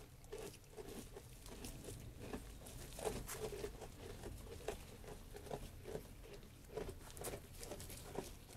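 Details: Sheep eating food, heard as a steady run of soft crunching and munching clicks, irregular but continuous, with a low rumble underneath in a quiet indoor space.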